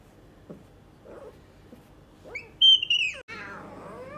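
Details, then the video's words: Luna, a young female leopard cub, makes a few faint soft sounds and then one sharp, high, whistle-like squeal that wavers and drops. A shorter, noisier, harmonic cry follows straight after it. "Cute Leopard cub Luna talks, gets angry, grumbles and snores."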